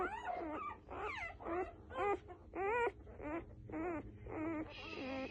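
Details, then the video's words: Several newborn F1B Standard Goldendoodle puppies whimpering and squealing in quick succession, each cry wavering and sliding in pitch, nearly two per second, the last one a higher, thinner squeak. "Sweet Sounds of newborn F1B Standard Goldendoodle Puppies"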